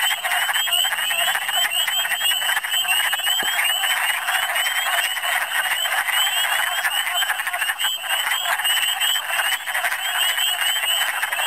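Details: Dense springtime chorus of wood frogs in Michigan, calling in large numbers: rapid, overlapping guttural clucks form a constant roar, with a higher band of short rising chirps repeating throughout and one sharp click.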